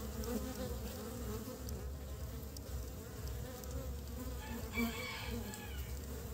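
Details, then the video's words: In early spring, honey bees gather pollen and return with it to build their nest; a dense, low buzzing hum throughout, with brief higher chirping toward the end. "Ong mật lấy phấn hoa về xây tổ đầu xuân"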